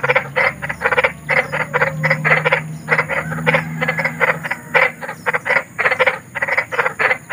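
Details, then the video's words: Big frog (kodok besar) in the wild, described as eerie-sounding: dense, rapid series of harsh, buzzy croaks, several pulses per second, in short bursts separated by brief gaps, with a steady low hum underneath. "SUARA KODOK || KODOK BESAR || SUARA KODOK SERAM"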